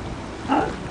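A sea lion gives a single short, hoarse bark.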